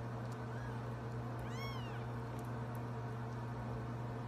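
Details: Young Sphynx cat with a faint soft mew followed by one clearer, brief rising-and-falling meow, set against a steady low hum indoors.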